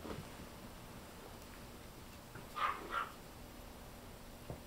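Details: A silver toy poodle puppy, fluffy and toddling, gives two quick, high yips in a quiet room.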